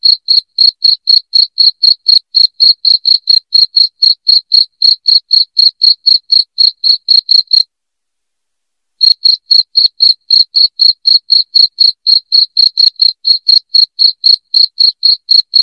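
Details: Loud cricket chirps used to chase rats away indoors: rapid, high, evenly spaced pulses about four per second, broken by a silent pause of just over a second midway before the same rhythm resumes.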